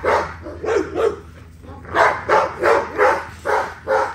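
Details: Exercising XL American Bully gives quick runs of harsh barks, three at the start, a short pause, then six rapid barks about two per second, against a low steady hum.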